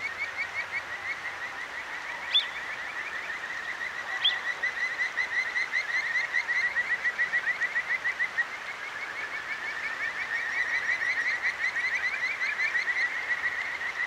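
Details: Kajika frog by a clear mountain stream in Akigawa Valley, Tokyo, at night, recorded with a Zoom H6: continuous rapid trilled whistles, each note sweeping upward, with two brief higher chirps early on and a soft hiss of water.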